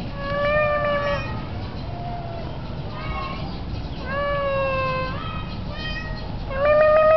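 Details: Male cat on a rooftop in strong wind calling to his owner, giving long level meows, one faint short mew between them, and a rising call at the end, with continuous wind roar beneath.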